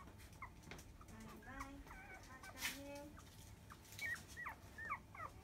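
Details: Five-day-old field-type Labrador Retriever puppy, born to the 2017 JFA grand champion biscuit, at the 10 a.m. nursing. It gives a run of thin, squeaky whimpers that bend up and down, about a dozen short notes over quiet indoor hiss.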